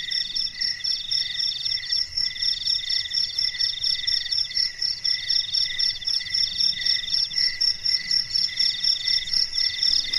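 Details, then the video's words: Crickets chirping at night in quiet darkness, a dense chorus of high, pulsing trills in several overlapping bands, steady and continuous with rapid rhythmic pulses throughout. "SUARA JANGKRIK MERDU DI MALAM HARI"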